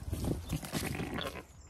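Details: Zwartbles ewe on a regenerative farm in County Kilkenny, Ireland, cleaning her newly delivered lamb after a assisted birth; short low, throaty bleating murmurs over rustling straw.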